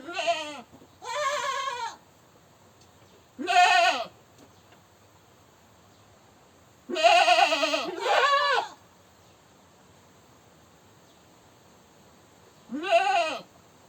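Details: Goat screaming with loud, rough, strongly harmonic bleats, two quick cries at the start, another near four seconds, a long doubled scream around seven to nine seconds and a final bleat near thirteen seconds.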